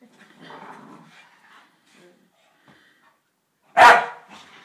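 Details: Staffordshire Bull Terrier puppies, two dogs, playing together indoors: soft low growling grumbles, then one sharp, loud bark near the end followed by a brief quieter yelp.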